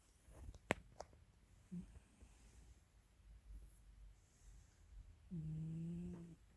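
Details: Pet cat YuSo sleeping at home in Pelham, Ontario, April 8, 2022: sharp clicks early on, a tiny snort, then one drawn-out low droning snore with layered overtones near the end.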